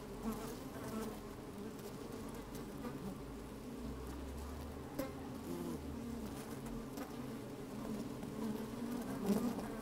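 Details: Busy honey bees in an opened hive, recorded from within on a sunny, slightly windy day: continuous low humming drone with stacked tones, a deeper rumble of wind-like noise midway, scattered faint crackles as bees shuffle past the microphone.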